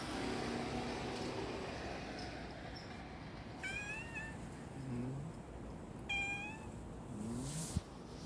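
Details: A brown tabby-and-white cat in Sumiyoshi, Hakata, Japan, gives a sad, plaintive meow. Two drawn-out, slightly falling mewing cries come about two and a half seconds apart over a low background hum.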